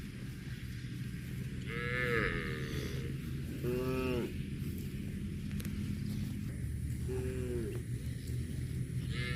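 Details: Cows mooing while grazing on grass: several short harmonic moos, one loud and arched near the middle, a fainter pair later, over constant low rumbling background noise.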